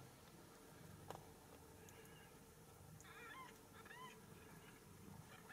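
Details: Ragdoll kittens in a home cattery in central Kansas, raised without cages, giving a few soft, high mews with rising-then-falling pitch around three to four seconds in, over a steady low household hum.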